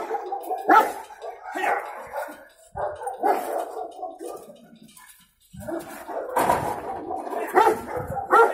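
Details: Cimarrón Uruguayo dog confronting an intruder for the first time, giving loud, rough, broadband barks in irregular bursts with short pauses between them, while people talk in Spanish in the background.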